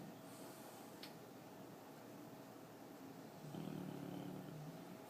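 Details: Yoda, a French bulldog, snoring while asleep: a low, steady, rattling drone that swells noticeably louder and rougher in the last second and a half, over a constant background hum.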